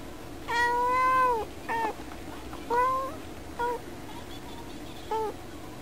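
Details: Pet cat meowing at birds seen through the window glass. One long, steady meow is followed by a string of shorter, clipped meows and chirps at irregular intervals.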